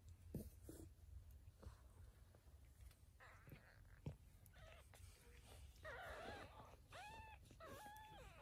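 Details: Domestic cat family, a mother cat carrying and rescuing her kittens; faint rumbling and shuffling give way to a run of soft, arched, rising-then-falling mews repeated several times near the end.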